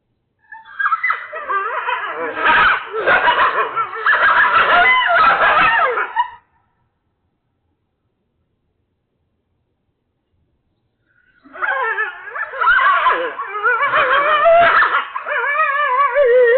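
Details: A group of coyotes erupts in a frantic chorus of wavering yips, yelps and high howls, twice with silence between: a group yip-howl.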